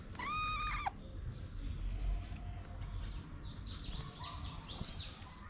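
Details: Moroccan street kitten, a fed stray now climbing onto a lap, gives one strong drawn-out meow at the start, followed by quick chirping birdsong in the background.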